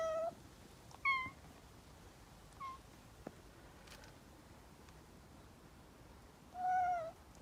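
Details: Domestic cat among six compared for their voices, giving short high meows and a brief chirp over a steady background hiss, ending with a longer, louder meow after a pause of several seconds.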